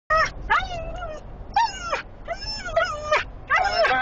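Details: A female Siberian husky in a small enclosed vehicle gives a rapid run of high, bending whines and yelping cries, set off by her high prey drive and the smell of sheep in a trailer ahead.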